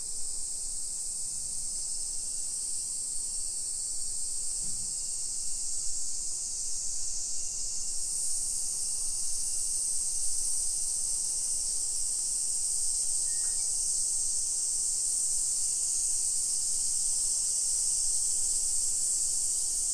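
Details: Continuous high-pitched buzzing of summer cicadas over a residential hillside street in Nisshin, outside Nagoya, Japan, at 1 PM on 28 July 2021, growing slightly louder over time, with soft low thumps early on.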